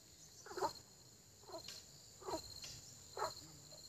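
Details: A frog gives short, throaty croaks in early spring, repeated roughly every second against a steady high hiss.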